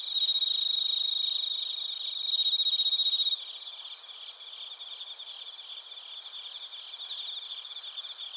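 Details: Bell crickets and crickets in Narita, Chiba Prefecture, Japan, recorded with a TASCAM Portacapture X8. A loud ringing trill with a bright whistle-like tone stops abruptly after three seconds. A softer, evenly pulsed cricket chorus carries on afterwards.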